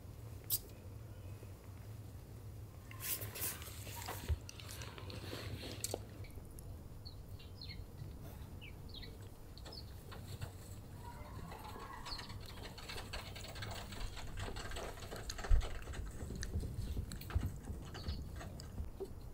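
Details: Purring stray cat during feeding time among other cats; a continuous low, even rumble runs under occasional chewing clicks, rustles and a few faint high chirps.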